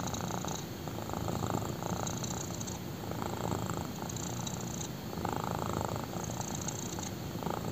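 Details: Close-up purring of a black kitten resting on a person's thigh, deep pulsing rumble rising and falling in long breath cycles about every two seconds.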